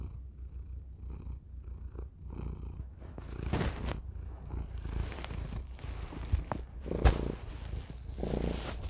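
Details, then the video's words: Thor, a cat, purrs into a tiny microphone. A steady, low, rumbling purr runs throughout, overlaid by close rustling and brushing against the microphone, with a few sharp clicks. "Thor purring into tiny microphone"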